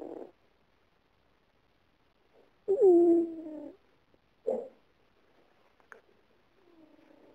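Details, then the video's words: Female domestic cat snoring while asleep, dreaming she is running away; short tonal murmurs, one drawn-out wavering moan near the middle and a brief squeak after it, separated by quiet gaps. "Cat running and snoring"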